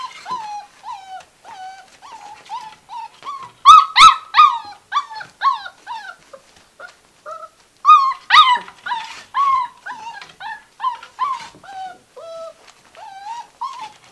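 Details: Six-week-old Gordon Setter puppies romping in a living room whimper and yelp in a steady stream of short high whines, some rising and some falling, with louder squeals in bursts every few seconds.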